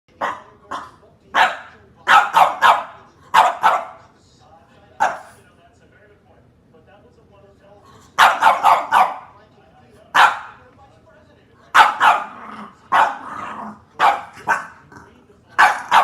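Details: Puppies playing with their brothers and sisters, giving short, sharp, high yips and barks in quick bursts of three to five, separated by quiet pauses of a few seconds.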